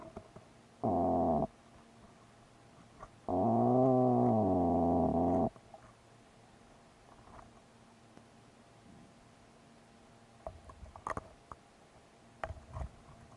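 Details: Plainfin midshipman fish in the intertidal zone of the Pacific Northwest coast, guarding eggs in its nest and growling at an introduced shore crab: a short droning harmonic growl, then a longer two-second one, followed by scattered clicks and scrapes.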